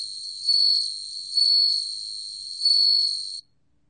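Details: Bell cricket, 2020 National Institute of Biological Resources recording: high, pure, tinkling trill that rises in loudness three times, about once every second, then ends suddenly, leaving silence.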